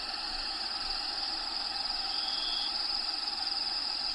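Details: Crickets in the vivarium of Diego the bearded dragon keep up a continuous high-pitched ringing trill with slight flutter, over a steady low hiss.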